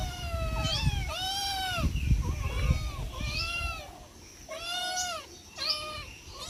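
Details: Hungry domestic cats meowing as food is served, loud arched harmonic meows repeated roughly every second, over low clattering and rustling noises.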